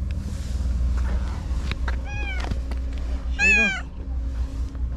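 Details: Shiro, a white stray cat at the tetrapods, reappears after a day away and meows loudly: a short meow near the middle, then one strong bending meow, over a continuous low engine drone and occasional human voice.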